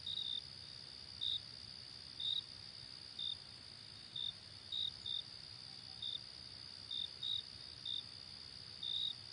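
A cricket gives short, high chirps at uneven intervals over a steady insect hum.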